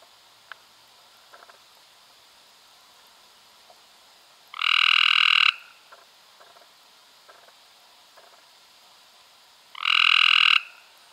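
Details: Cope's gray treefrog calling in May 2016: two loud, harsh buzzy trills, each lasting about a second and spaced roughly five seconds apart, with faint clicks and soft background noise between them.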